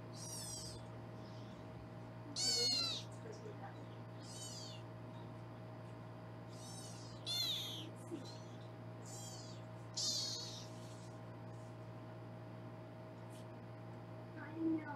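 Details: Kittens in foster care in Los Angeles, during weighing; a scatter of high, squeaky mews, roughly eight in fifteen seconds, some brief and some drawn out, with a constant low hum indoors.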